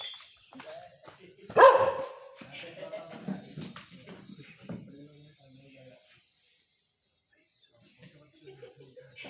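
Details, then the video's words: Dog described as injured and very dangerous gives one loud, sharp bark near the two-second mark, followed by quieter low sounds mixed with human voices, then near silence with faint rustling at the end. "DOG sound Effect bing dog. ghayel bhi hai bahut khatnak dog"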